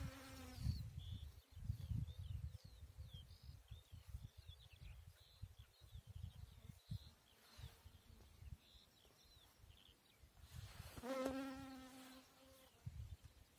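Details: Bees working on a beautiful chicory flower; short bursts of low humming buzz come and go, with a longer buzz near the end, while birds chirp and twitter in the background.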